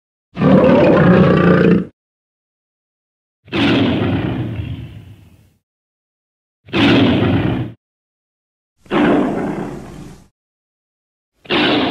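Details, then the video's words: Five heavy lion roars with grunting, gravelly tones, each lasting one to two seconds and fading at the end, separated by short silences in an edited sequence. "Lion (Wild Beasts) Sounds"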